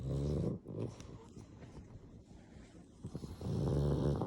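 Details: Sleeping black pug gives two loud, low, rattling snores at the start and end, with a quieter snuffling stretch of breathing between them.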